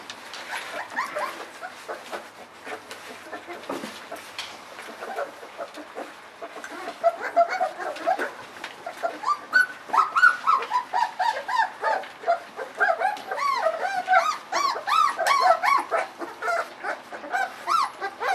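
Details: Ava's puppies, a litter about 3.7 weeks old, at their evening feeding of puppy mush before their mother returns to nurse; many overlapping high, wavering whines and whimpers rise and fall in quick succession, with a few short yips and scattered clatter.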